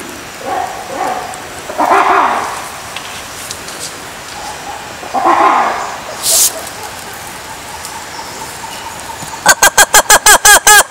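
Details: Lemur calls in a series of drawn-out wavering moans spaced a few seconds apart, with a brief hiss midway, ending in a rapid burst of sharp, evenly repeated clicking pulses.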